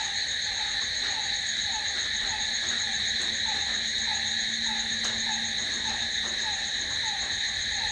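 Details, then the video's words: Crickets at night keep up a constant high, ringing trill in stacked layers; a soft lower chirp repeats rapidly, and a faint low hum runs through the middle. "Cricket sound🦗🦗🦗to sleep... Try it.... Night's in hands of cricket..."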